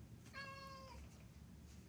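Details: Pet cat inside a house after midnight, seemingly asking for better food or to be let out, giving one clear tonal meow about half a second long that holds level, then slides down at the end, over a quiet low room hum.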